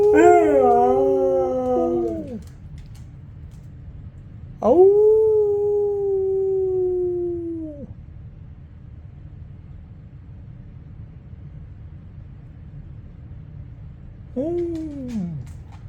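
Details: Husky howling indoors in response to a person's howling: three drawn-out, mournful howls, each starting with a quick upward sweep then sliding gradually downward, separated by pauses of several seconds over a steady low background hum.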